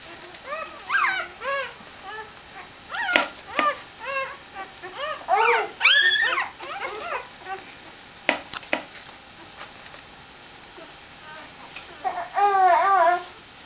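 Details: Excited Dobermann puppies welcoming their mother Jessica back from a walk, giving quick bursts of short, pitched yelping whines in overlapping clusters, with pauses and a final flurry of wavering cries.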